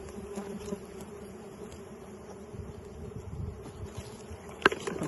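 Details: Steady droning buzz of wild bees at a honey harvest, an even low hum that holds without pause, with faint rustling underneath and one sharp click near the end.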